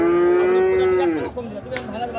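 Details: One calf at Ambari cattle market, Dinajpur, Bangladesh, on 29 December 2023 gives a single even, sustained moo of just over a second that drops at the end, followed by quieter market background and a sharp click.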